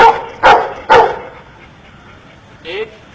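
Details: Dog learning to count under an Indian man's training gives three sharp barks about half a second apart, followed by a pause and a short spoken word from the man.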